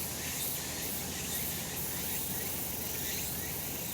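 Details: Cicadas calling on a sunny summer mountainside: a dense, steady high-pitched hiss of many insects with no clear breaks and faint pulsing near the start, over a low background rumble.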